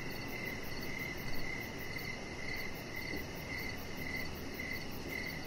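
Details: Crickets chirping outdoors in the evening beside a deck, a steady series of short high pulsed chirps repeating about every half second over a low, broad background hum.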